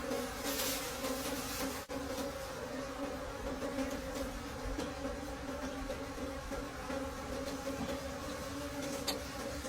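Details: Wild bees buzzing at their nest deep in a forest during the late-season honey harvest, a steady low droning hum with a clear overtone, broken by occasional sharp clicks and crackles of handling.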